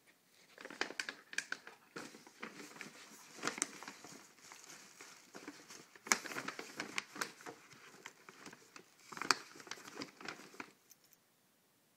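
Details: Indoor crinkling and tearing of wrapping paper in irregular bursts for about eleven seconds, with no vocal sounds.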